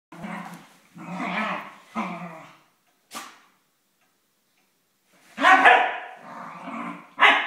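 Dachshunds fighting, with harsh snarling growls and sharp barks in rough bursts.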